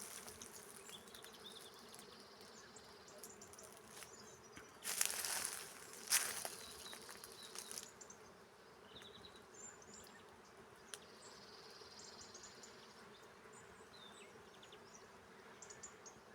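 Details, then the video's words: Honey bees forage in a carob tree that is covered with bees. A continuous low buzzing drone holds throughout, with a loud burst of brighter buzzing midway as bees pass close, and faint crackling in the background. "صوت جميل للنحل وهو يرعى على شجرة الخروب"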